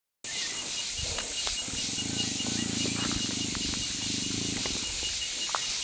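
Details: Young rescued jaguar, raised without its mother and very accustomed to people, wanting attention in a temporary enclosure; a low, pulsed, rumbling call lasting about three seconds beneath a dense, steady high-pitched insect chorus.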